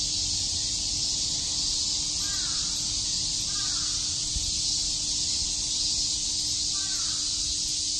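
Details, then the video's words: Cicadas chirping on a summer day at Shakujii Park in Tokyo, a dense, unbroken high-pitched buzzing drone filling the air, with a few faint crow caws at intervals behind it. "Cicada chirps"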